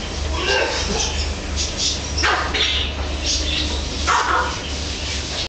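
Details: Dachshund barking: a few short, sharp broadband barks spaced through the clip over a steady low hum.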